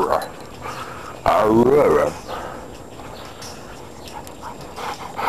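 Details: Lobo, an old Husky of about ten years and a rescue dog, lets out a loud, wavering, whining howl that bends up and down and then drops, with a person cooing and talking to the dogs before and after.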